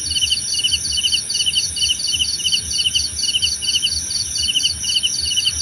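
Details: Crickets chirping for relaxation and meditation, short buzzy pulse groups repeating roughly twice a second, a higher caller interleaved, against a persistent high-pitched insect hiss.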